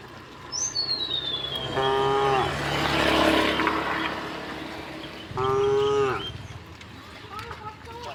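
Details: Herd of cows strolling home through a village on a bright morning; two strong moos several seconds apart, a descending bird whistle at the start and a burst of broadband noise between calls.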